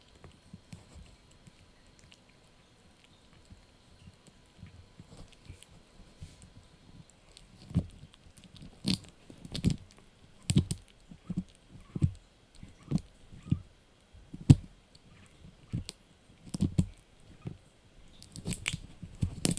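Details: Yorkshire Terrier puppy named Blue chewing a dried bunny ear indoors; sparse soft crunches at first, then from about eight seconds a dense run of sharp, crisp crunching bites every half second or so, close and dry, with low thumps between.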